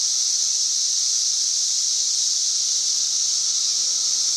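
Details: Singing cicadas overhead in trees, May 31, 2024, at roughly 90 decibels: a continuous piercing electric whine, flat and unvarying in pitch and volume.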